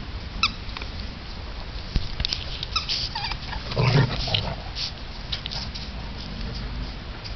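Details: Oscar the St. Bernard play-fighting with his buddy Otis: a short high whine near the start, then bursts of scuffling, panting and thin yips over a steady low background hum.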